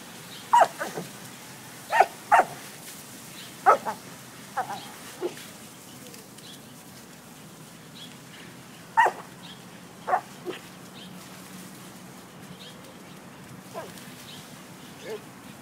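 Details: A dog playing with water barks in short bursts, often in quick pairs, then pauses before barking again; light splashes and quiet outdoor noise fill the gaps.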